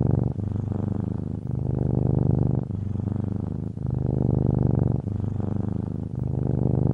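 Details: Rhythmic purring of a cat, a low buzzing rumble of quick pulses that rises and falls with each breath, steady and unbroken for the whole stretch.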